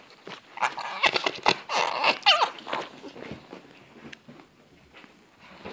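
A fox gives a quick burst of raspy, high yips and whining squeals, then fades to soft chatter.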